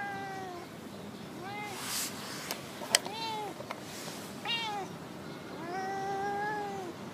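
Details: Chatty female stray cat in a park car park, giving a run of short arched meows followed by a longer, drawn-out meow, with a few clicks and rustles in between.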